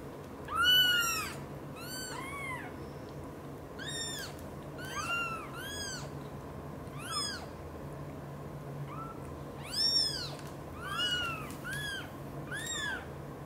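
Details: British Shorthair household where mother cat Xaxa devotedly looks after three kittens, Piano, Miracle and Cream. About ten loud, high, arched mews repeat every second or two, some in quick pairs, over a faint low hum.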